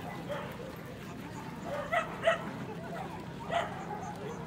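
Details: Corgi dog, male, at the Soshu Aiken Club show, 3 November 2021: a quick pair of sharp barks followed by a single bark a moment later, over background chatter and hall noise.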